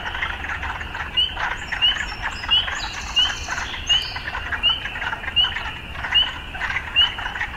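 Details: A frog chorus among the sounds of urban life, with a clipped bright note repeating roughly every two-thirds of a second over thick buzzing croaks and a few brief high tonal notes midway.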